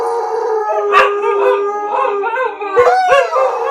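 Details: German Shepherd and two huskies howling together, the shepherd having started and the huskies joining in; overlapping sustained tonal howls with rich harmonics, wavering and rising-falling arcs, punctuated by a few sharp yips near the first and third seconds.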